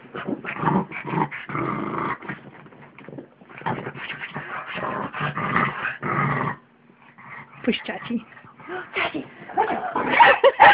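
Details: Two small dogs, a pug and a mutt, play together on a bed indoors. Bursts of growling and snarling come in rough, irregular runs with a short pause midway. A person's voice and faint music are also heard.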